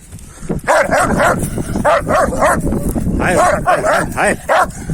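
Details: Kangal dogs, males trying to win over a female dog: a run of high, arching whining yelps repeated in quick uneven bursts, with people talking over them.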